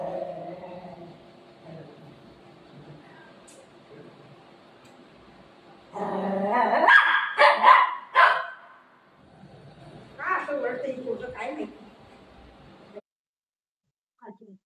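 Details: Golden Retriever playing with its owner, giving a burst of loud barks and yips around the middle, then a second softer cluster of yelps and whimpering sounds, with low background rumble at the start.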